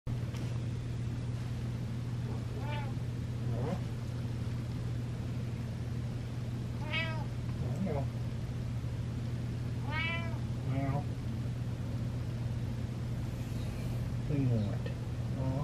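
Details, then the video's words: Male pet cat meowing while getting a belly massage: several short, rising-falling meows spaced a few seconds apart over a steady low hum, with soft rustling. "Cat Meows And Gets Belly Massage"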